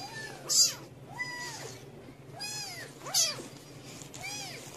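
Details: Cat family on the fourth day, a mother cat patiently tending, guarding and protecting her babies; a series of thin, high arching mews, about six in under five seconds, each rising then falling, over a low steady hum.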